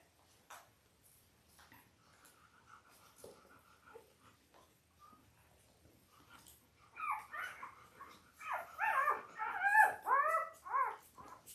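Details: Five-day-old Labrador Retriever puppies, a litter of eight born October 15, 2023 to their mother Belle, indoors on a puppy cam: soft shuffling and clicks, then a burst of loud, high, wavering whines and squeals in rapid overlapping series.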